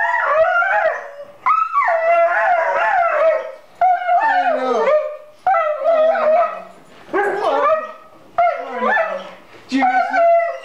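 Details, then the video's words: Dog crying like a child on meeting its owner again after six months: long, loud, quavering howl-like wails, each lasting one to two seconds and rising then sliding down, separated by brief pauses. "Questo cane rivede il suo padrone dopo 6 mesi e piange come un bambino"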